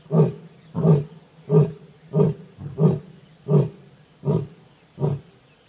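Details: Wild Asiatic lions at Sasan Gir, a lion and lioness roaring while mating; a run of eight low, coughing roar grunts spaced under a second apart, fading slightly toward the end.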